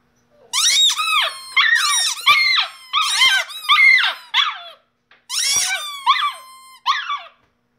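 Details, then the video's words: Singing Shiba Inu pet dog indoors: loud, shrill, quavering howls strung together, each note sliding up then down, in two runs split by a short silence. "My Shiba inu dog singing"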